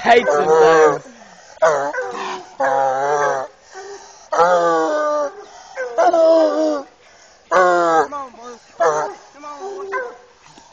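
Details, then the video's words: Eight-year-old male Bluetick Coonhound baying on a caged raccoon; repeated short, wavering bawls with quavering pitch, irregularly spaced, with softer whining notes in the pauses. "Male Bluetick on cage coon"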